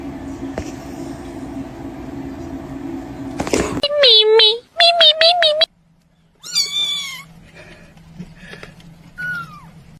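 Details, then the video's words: Domestic cat meowing indoors: after a burst of noise, a quick run of loud, wavering harmonic meows, a short silence, then a longer drawn-out meow and a softer falling one over a low steady hum. "Funniest Cat 🐱 funny cats talking"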